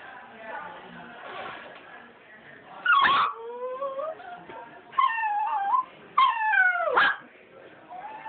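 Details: Puppies whining: drawn-out, sliding whimpers that rise then fall, a few short sharp yelps, and several loud whines in the second half over faint background voices.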